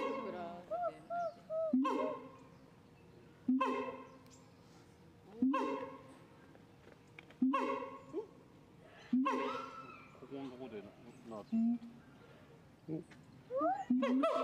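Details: Siamang calling in loud, resonant harmonic bursts spaced roughly two seconds apart, each trailing off slowly, with faint higher rising notes between the bursts.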